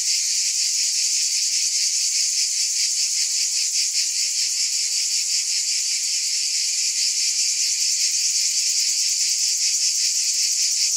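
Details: A continuous shrill drone of cicadas, layered high hissing tones that pulse quickly and a little irregularly, constant in volume from start to finish.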